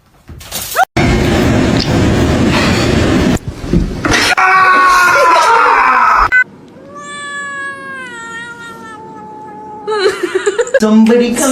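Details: Drawn-out cat yowl lasting several seconds, starting higher and sliding gradually downward in a wavering, harmonic tone. Loud noisy clatter precedes it and people's voices follow.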